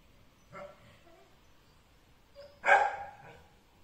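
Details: A white male Pekingese puppy gives a brief, soft bark, then a louder, rasping, high yap about two seconds later, both sharp and quick.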